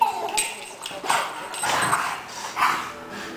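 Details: A fight between a pet Doberman called Bella and a new cocker spaniel called Addie: a few quick harsh snarls and yelps within a few seconds, with human voices alongside.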